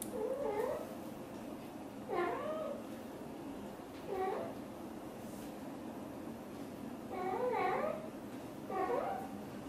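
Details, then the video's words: Blue golden British Shorthair mother cat chatting with her kittens inside a small room; five soft, wavering harmonic meows with bending pitch, some paired closely, the rest separated by gaps of about two seconds. "The sound of the mother cat talking to her kittens is so sweet"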